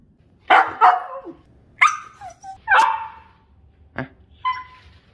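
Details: Pomsky pup giving a run of varied barks: two quick rough yaps, then two louder harsh barks a second apart, a short sharp bark and a softer higher yip at the end.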